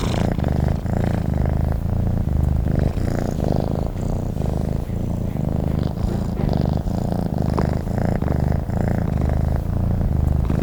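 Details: Long stretch of a sleeping cat purring: a thick, low rumbling drone that pulses with its breathing, around fifteen steady cycles, even and unbroken, nothing else audible.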